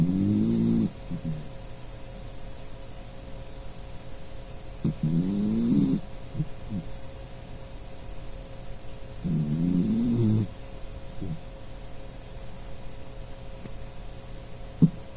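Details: Puchi, a Dachshund that often snores while sleeping, gives three rumbling snores about every four to five seconds, each low with a wavering hum, short snuffles after them and a faint click near the end.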